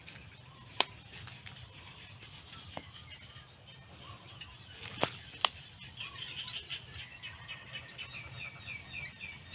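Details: In the countryside, a steady, high, thin insect drone runs unbroken throughout, with a few sharp clicks and, in the last few seconds, quick chirping bird notes.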